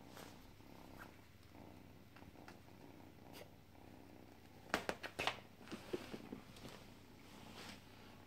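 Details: Sleepy pet cat named Tina purring indoors: a low, soft, steady purr runs throughout, broken near the middle by a cluster of sharp clicks and rustling handling noises.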